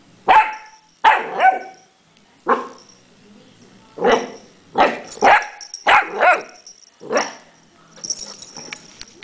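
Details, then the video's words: Chewy, a puppy, barks at a pill bottle, giving about ten sharp, high yapping barks, some in quick pairs, spaced roughly a second apart, with faint household noise between them. "Chewy puppy barking at a pill bottle"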